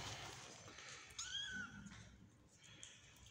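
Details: Indoor recording of a domestic cat: a mother cat that is not nursing her kittens because she is not getting enough food. One short tonal meow, bending slightly downward, stands out over a low room hum and quiet handling noise.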